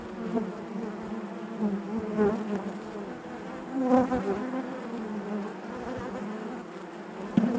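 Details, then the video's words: Hive-interior drone of honey bees: a steady, many-voiced low buzz with stacked harmonics, rising and falling gently, and a few louder passes from nearby bees, one sharp bump at the very end. "bees therapy hive natural buzzing sound"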